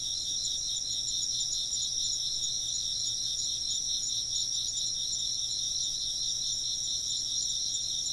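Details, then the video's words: Insects chirp together in a continuous shrill chorus, layered high tones trilling without break across the whole stretch; a soft low hum sits underneath, with no other distinct sounds. "風鈴の音と虫の声 - wind chimes and chirping insects"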